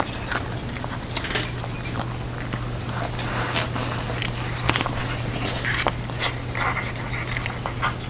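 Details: Jeongsaek, a pet cat dressed in a hanbok, eats a Lunar New Year 'cat dumpling soup' indoors. Dense wet crunches and clicks of chewing and lapping run throughout, over a steady low electrical hum.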